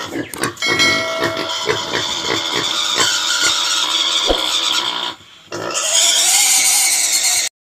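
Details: A desi pig in a village gives loud, harsh, piercing squeals that run almost without a break.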